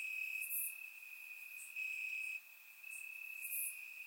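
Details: Night chorus of crickets in summer grass in Bulgaria, surround-mic recording: a continuous high-pitched trill that swells and dips, overlaid by a couple of sharp, very high chirps.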